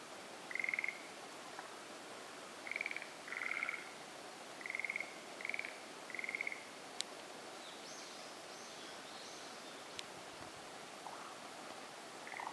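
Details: Forest green tree frog calling at a marsh in the Aokigahara sea-of-trees forest: brief pulsed, rattling croaks in scattered bursts a second or two apart, then quieter, with a faint higher chirping call and occasional clicks over steady background hiss.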